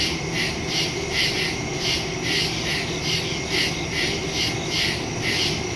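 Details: Night chorus of crickets in a wood, captured September 2, 2023, on a phone fitted with a stereo microphone; sharp, evenly spaced chirps beat steadily against a dense background hum of insects.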